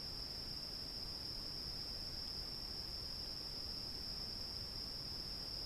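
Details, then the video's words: Night field ambience of cicadas: one continuous, piercing high whine holds at an even pitch and level from start to finish, with only a faint hiss beneath. "Сicadas with Hoots (Night Field Ambience)"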